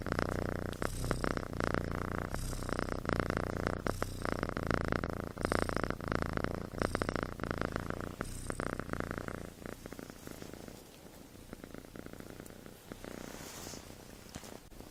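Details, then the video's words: A kitten snores while asleep, its snoring compared to a human's. Continuous low, rough rumbling pulses for about nine seconds, then grows quieter and thinner toward the end, with faint room noise. "Snoring Kitten"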